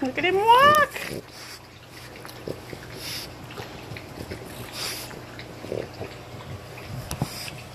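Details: English Bulldog puppies, 20 days old, one giving a loud, high, rising whine with a wavering pitch that lasts under a second at the start, then only quiet shuffling and faint background noise.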